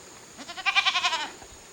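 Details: Young goat separated from the herd on a hillside grazing pasture at a Japanese goat farm, September 2023, giving a single strained, wavering bleat lasting about one second over a quiet background.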